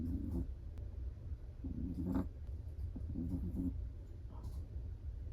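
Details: Sleeping Chihuahua snoring softly, faint low rasping breaths near the start, around two seconds and again past three seconds, over a steady low hum of room noise.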